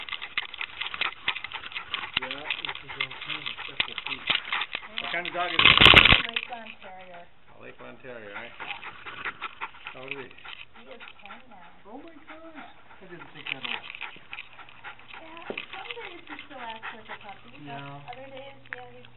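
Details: Male Lakeland Terrier working as a studio assistant, singing a duet with a piano tuner in a music shop in Calgary, Alberta, recorded by a camera on his collar: wavering howled tones slide up and down, with a loud burst near six seconds and people talking.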